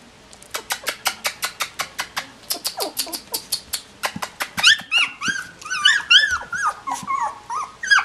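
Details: Collie puppies at 16 days old, a rapid series of short high squeaks at about three per second giving way to overlapping rising-falling whines and yelps from several pups, with a person's voice afterwards.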